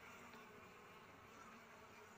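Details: Honey bees at harvest time, when durian and other trees are flowering, give a dense, steady broadband buzzing hum with no breaks, quiet and even throughout.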